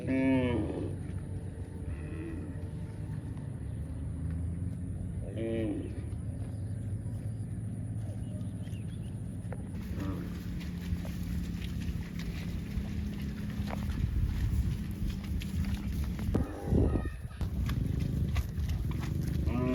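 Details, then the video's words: Cows mooing on a farm: a few short harmonic lowing calls near the start and around five seconds, over steady low rumbling background noise and scattered clatter later. "Cow Mooing Sound"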